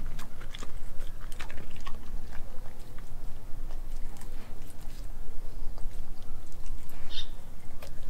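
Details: Australian Kelpie–German Shepherd mix named Nala eating raw meats such as beef heart, liver and chicken feet; continuous moist chewing punctuated by crisp snapping bites, with one brief higher squeak near the end.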